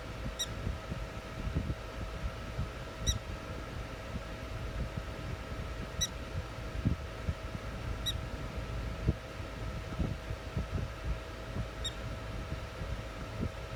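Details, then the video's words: A prairie dog near Valentine, ND, gives short, high chirps every two to three seconds over rumbling wind and a steady hum. "Prairie Dog Making Noises"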